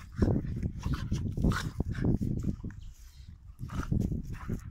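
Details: Dogs play fighting, giving rough, low growls in uneven bursts with snorting breaths and scuffling noises between them.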